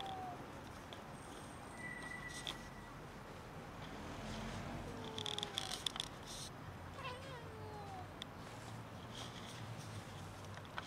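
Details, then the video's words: Many cats gathered near a building waiting for someone to feed and pet them; scattered short, falling meows from several cats over steady outdoor background noise with clicking sounds. "So many cats wait near a building for someone to feed and pet them"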